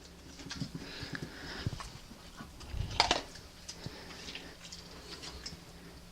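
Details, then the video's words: Obi the dog sneezing on command as one of his tricks, after spoken cues to sit up and turn around; one sharp, brief burst near the middle, with quiet room noise and faint rustling around it. "Dog sneezes on command!"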